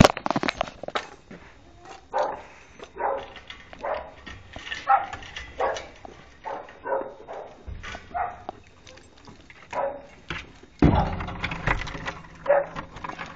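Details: Boxers at rough play, three dogs: irregular husky growls and short barks mixed with scuffling, thuds and clattering noise, with a louder clash near the end.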